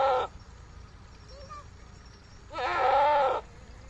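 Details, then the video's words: Goat bleating on a Pakistani goat and sheep farm: the tail of one call, then a loud, shaky, drawn-out bleat of nearly a second, with quiet low background noise. "goat and sheep sound"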